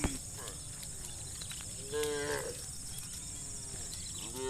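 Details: Tame cows from a herd of dozens roaming muddy rice fields toward fresh grass, one moderate harmonic moo near the middle and a shorter one at the end, over steady high insect-like hiss.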